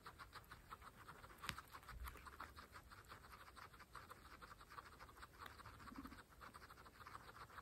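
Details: Fresh grass being eaten by pregnant pet guinea pigs, one herd of 26 females. A soft, rapid, even rhythm of tiny chewing clicks, with one sharper snap early on and a faint low murmur near the end.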